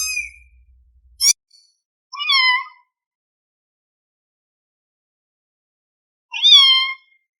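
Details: A hungry kitten gives high, thin meows with a falling tail, spaced a few seconds apart, calling for its mother.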